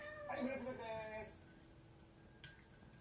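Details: Somali cat meowing indoors when a drink is stirred: one quiet, drawn-out meow of about a second, followed by near silence with a faint click.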